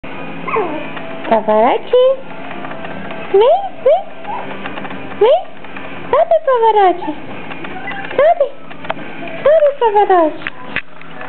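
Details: Yorkshire Terrier puppy, 60 days old, nicknamed Little Pavarotti, indoors trying to climb onto a couch; high, rising whines and short yelps come in quick bursts, some bending up then down, with brief pauses between.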